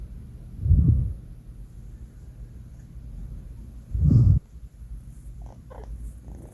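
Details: Four-month-old male cat Banh Mi sleeping, giving two deep, rough snoring breaths roughly three seconds apart, low and throaty, with quiet background hum and a few small rustles afterward.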